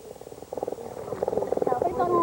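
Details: Cody, a mountain lion (California cougar) brought to a school by Tippi, purring while children keep still and quiet; a rapid, throbbing, pulsed rumble that grows steadily louder over two seconds.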